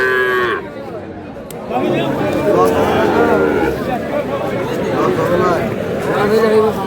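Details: Sahiwal bull calves for sale at a cattle market in Kurigram, Bangladesh, on Tuesday 3 March: drawn-out low moos rise and fall over a busy crowd, with people talking and bargaining nearby.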